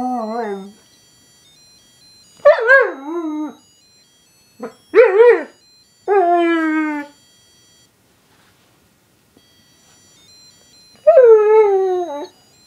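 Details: A Weimaraner howls along to faint bagpipe music playing "Scotland the Brave" in long, wavering notes that rise and fall.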